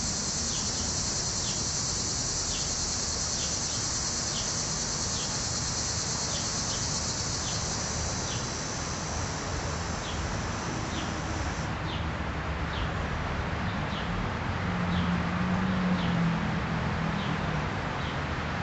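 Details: Cicada chorus in July heat at Munster, Indiana, as the insects emerge to molt and mate: an intense high buzzing drone cuts off about two-thirds through, while short descending chirps keep repeating steadily and low rumble sits underneath.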